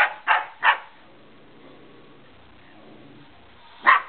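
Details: Dog named Remy barking at a remote control car: two quick barks at the start, a long quiet pause with faint background, then one more bark at the end.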